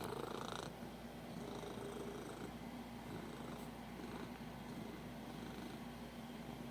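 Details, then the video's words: Domestic cat purring while extremely happy, a steady low rumbling purr running continuously through the whole stretch with faint breathy texture, at home. "My cat makes weird noises"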